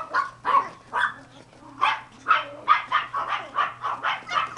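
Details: Cream sable Pomeranian (German dwarf spitz) puppies yapping indoors, about a dozen short, high, sharp barks at a steady pace of roughly two to three each second.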